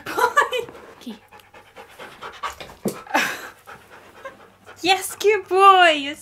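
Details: Pet husky during a treat trick session, a person talking and soft panting, then a short wavering whine that bends up and down in pitch at the end.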